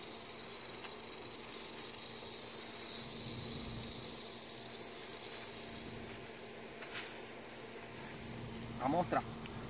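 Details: A pair of rattlesnakes found in the Everglades on the way home from kayaking, being handled by a person; a steady, dry, high buzzing rattle runs throughout, with brief human voices and a knock near the end.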